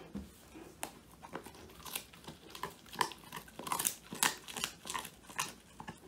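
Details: Phone recording of male Old English Sheepdog Woody eating a whole quail as his first treat; rapid, irregular crunching bites, about two or three per second, crackle through a small indoor room.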